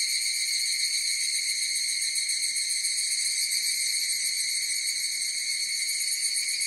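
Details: Evening cicadas (higurashi) in a chorus: a steady, dense, high-pitched ringing drone with several even tonal bands and a faint fast pulsing. The sound stays at the same loudness throughout, with no other sounds.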